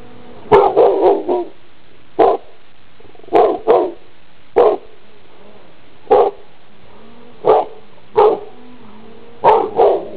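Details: A large brown-and-white pit bull walking around a yard and running toward the camera gives deep, gruff barks, singly and in quick pairs about every second, wagging its tail and breathing loudly.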